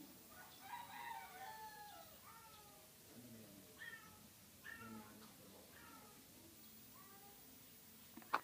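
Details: A very sick cat giving strained, wavering meows that rise and fall, several drawn-out cries spaced a second or two apart over a low background hum, with a sharp click near the end.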